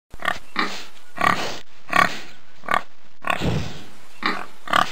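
A pig gives a run of short, harsh grunts and snorts in quick succession.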